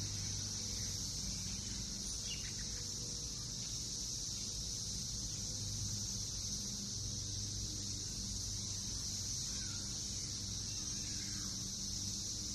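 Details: A steady, high-pitched chorus of Brood X periodical cicadas, emerged after 17 years underground, hums without a break in a backyard in Northern Kentucky in June 2021, with a few faint bird chirps.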